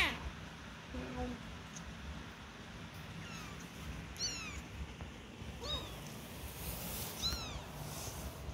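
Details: Newborn kittens about one week old, learning to walk, giving high thin mews. Four short, falling calls arrive roughly every second or so, over a background of faint hiss and rustling.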